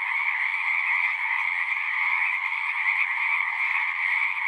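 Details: A pond in a horse pasture full of singing frogs, captured on a Zoom 6 recorder; the many voices merge into an unbroken, even, buzzing drone with a shrill upper layer, constant in loudness.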